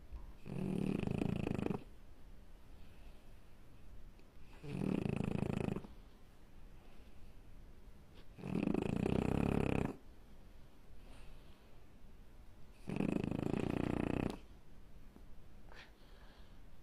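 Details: French Bulldog puppy snoring in its sleep indoors: four long, rasping snores, each lasting about a second and a half, come roughly every four seconds with quiet breathing between.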